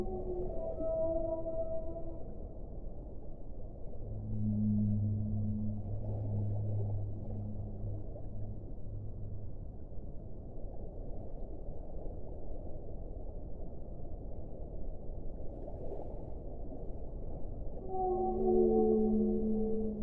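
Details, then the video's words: Whale singing underwater. Brief higher tonal notes open the recording, then a long, deep moan lasting several seconds, a long steady wash of noise, and a cluster of rising and falling tonal calls at the close. "1 ora di suono delle balene"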